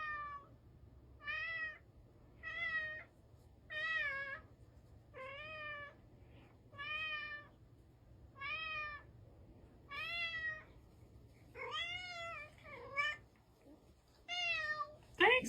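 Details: Domestic cat meowing indoors, about ten short rising-then-falling mews spaced roughly every 1.3 seconds, clear and harmonic, with a faint low hum behind and a brief louder sound at the very end.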